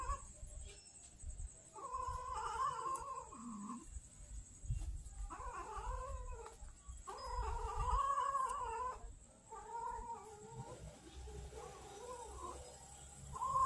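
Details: Street kittens in Banyuwangi, Indonesia, hungry and angry because food comes late, utter a series of long, wavering, moaning yowls, each lasting one to two seconds with short gaps, over steady low background rumble.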